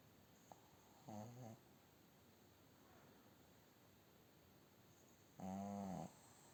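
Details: A sleeping female pug snores in low, rattling bursts, each breath a harmonic-rich snort lasting about half a second.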